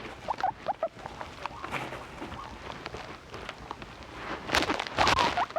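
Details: Guinea pig giving short rising squeaks in the first second and again near the end, over a steady patter of rustling and crunching clicks.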